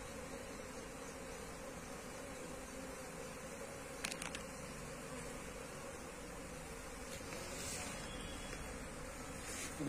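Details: Wild Asian honey bees of a colony being moved into a hive box: a steady, dense droning hum held through the clip, with brief clicks and knocks of handling and a faint low rumble beneath.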